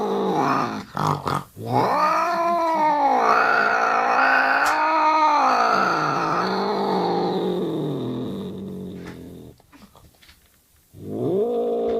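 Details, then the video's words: Angry cat caterwauling indoors: a long, undulating wail with rising and falling pitch for about seven seconds, fading into quiet, then a fresh yowl starting at the close. "ANGRY CAT"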